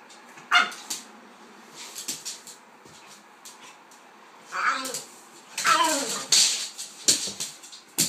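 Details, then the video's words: Two dogs, a pitbull and a King Charles spaniel named Kaiser and Viki, playing together indoors; short sharp barks and whining yelps come in scattered bursts, with a brief rising whine and some scuffling between them. "Pitbull vs king charles spaniel 3"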